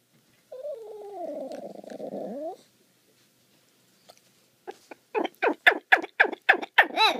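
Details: A new pup showing off his weird bark: a drawn-out, moaning groan lasting about two seconds, a pause, then a quick run of roughly nine short, high yelping barks, indoors.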